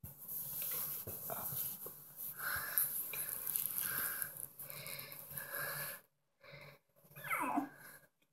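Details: Little female American Bully puppy indoors giving wheezy, snorting breaths in a long continuous stretch, then a short rising squeaky whine near the end, with faint human voice in the background.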